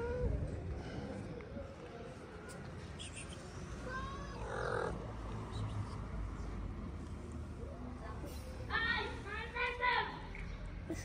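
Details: Hungry stray cats in a Moroccan street gather around leftover food on a plate. Brief harmonic meows come midway and again near the end, in short clustered bursts, over people talking and a low street hum.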